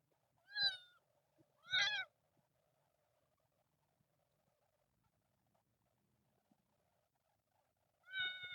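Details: Kitten from a group of temple cats living outdoors, screaming: three short, high, harmonic-rich meows, two close together near the start and one more after a long quiet gap.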